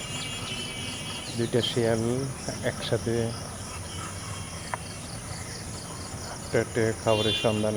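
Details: Fox at night giving two groups of bent, harmonic yelps, one near the second mark and another toward the end, with a continuous cricket chorus and low rumble behind.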